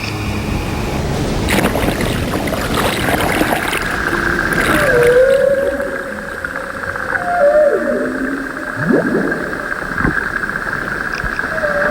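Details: Humpback whales filmed underwater off the Babuyan Islands in the Pacific, in strong current, give smooth, wavering moans and whoops that bend up then sweep down in pitch, several in a row, over music and steady water hum.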